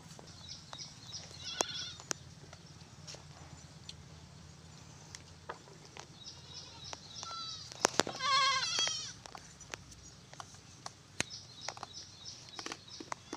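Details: Mother goat with four kids on a farm; a short quavering bleat near the eighth second stands out, with faint higher bleats early on, sharp clicks and knocks scattered throughout, and a low steady hum underneath.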